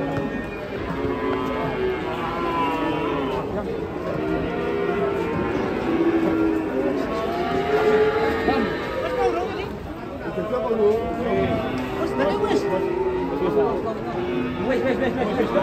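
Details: Fat cattle calling repeatedly. Arching, wavering moos rise and fall over several seconds, mixed with people talking and faint music.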